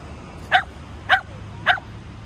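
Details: A Shetland Sheepdog playing ball with a man gives three short, sharp yipping barks, evenly spaced about half a second apart, after a person speaks.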